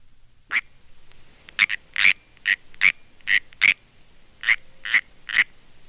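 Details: A California canyon tree frog (Hyla californiae) gives short, sharp warning chirps at uneven intervals. This is the warning call frogs make when seized.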